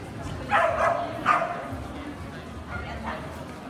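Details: Kerry blue terrier at a specialty dog show: two sharp, loud barks in quick succession near the start, then two softer yaps a moment later, over steady background chatter of people in the hall.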